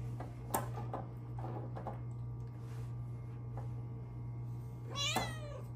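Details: Luna, a house cat, sits at her favourite petting window indoors. Quiet rustling and handling noises lead into one short, bright meow near the end, over a low electrical hum.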